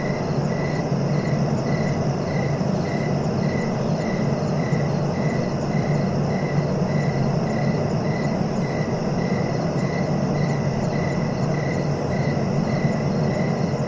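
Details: Crickets keep up a fast, even train of chirps, with occasional higher buzzy bursts from another insect every few seconds, all over a continuous deep rumbling background noise.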